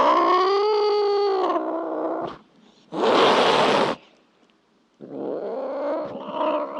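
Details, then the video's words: Cat yowling: a strong, drawn-out cry, then a second of harsh, breathy hissing, then a rough, lower moaning growl after a pause. "Sounds of cats for relaxation / Sounds of cats for children"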